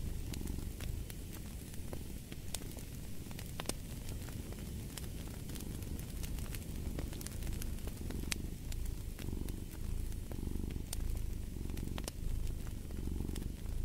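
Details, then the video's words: Low, rumbling cat purr with a gentle in-and-out pulse about every second, mixed with scattered sharp snaps of a crackling fire. "Purring of a Cat"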